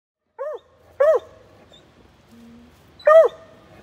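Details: Coonhounds, a Bluetick puppy following a Black and Tan Coonhound: three sharp, high yelps, each arching up and then falling, spaced about a second and two seconds apart, with a faint short steady tone in between.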